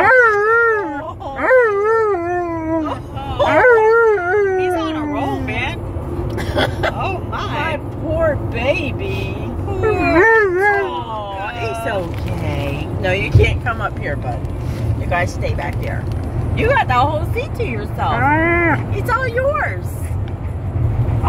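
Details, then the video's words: Alaskan Malamute howling inside a car on a road trip: wavering, yodel-like howls that slide up and down in pitch, strongest in the first five seconds and returning near ten and eighteen seconds, over steady road rumble and people talking. "Malamute Howling In Car On A Road Trip"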